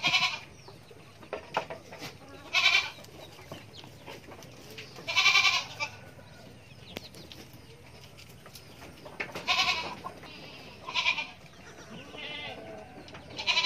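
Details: Young goat kid bleating in a series of bright, nasal cries, each about half a second long, with pauses of a few seconds between them and faint background hiss.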